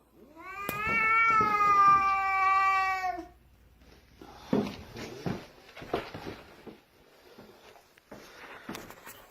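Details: Pet cat blocking its owner on the stairs indoors, staring intently: a long, drawn-out wavering yowl with rich harmonics over about three seconds, then scattered scuffing, thumps and a man's voice.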